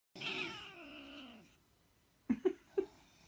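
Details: A hairless Sphynx cat, bothered by its owner, makes a long, harsh, falling yowl, then three short, sharp, angry bursts.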